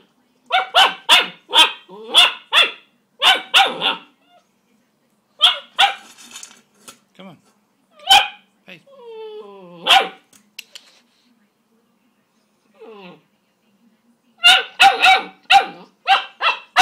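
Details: A 10-week-old Greater Swiss Mountain Dog puppy at feeding time, agitated by his own reflection in the bowl; volleys of rapid sharp barks, a quieter middle stretch with whiny yelps, then another burst of barking.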